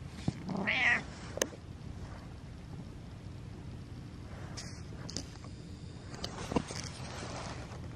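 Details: Pet cat lording it over its owner lets out one brief meow near the start, followed by scattered clicks, rustling and handling noises in a quiet room.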